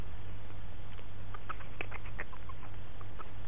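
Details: Pretzel, an abandoned baby Grey-headed Flying-fox hand-raised in a rehab minicreche for release to the wild and just starting to fly, gives a scatter of short, sharp squeaks and clicks over a steady low electrical hum.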